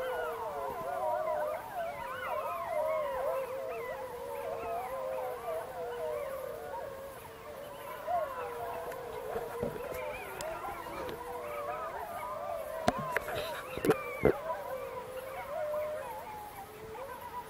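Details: Gray wolves in the Apuan Alps park, Italy, 2014, howl together in long wavering overlapping tones; pups answered broadcast recorded calls, confirming breeding there for the first time.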